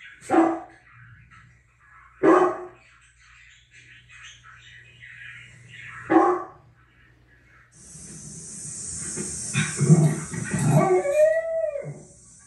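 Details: Pet Great Danes Lexi and Levi barking back at dogs on TV: three abrupt barks spaced roughly two seconds apart, then a hissing rush of noise with high, squeaky whining glides near the end.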